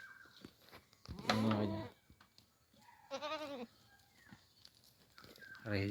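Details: Goats waiting for fodder before release from their pen; two bleats, the first short and strong, the second wavering and tremulous, with a man speaking nearby and faint background clatter.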